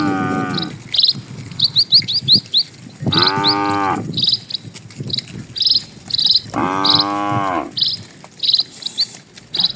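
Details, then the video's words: Herd of dozens of cattle moving slowly across a peaceful country road; two full, resonant moos about three seconds apart, each roughly a second long. Quick high chirps from birds fill the gaps. "PULUHAN SAPI MELINTASI JALAN PEDESAAN, SUARA SAPI"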